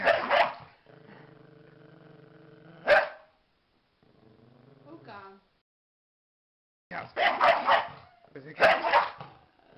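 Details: Dog barks harshly, then gives a steady low droning growl and a short whine before several more loud, rough barks close together.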